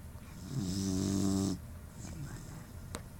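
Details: Puppy Atlas asleep, snoring through a deviated septum: a single second-long harsh, honking nasal snore that cuts off abruptly, followed by soft breathing and a faint click.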